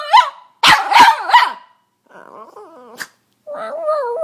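A Boston Terrier gives a few sharp, rough barks, then a run of high, wavering squeals and whines.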